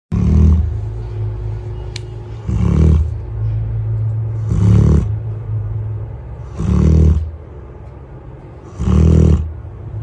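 A drowsy Alaskan Malamute lets out deep, rumbling groans about every two seconds.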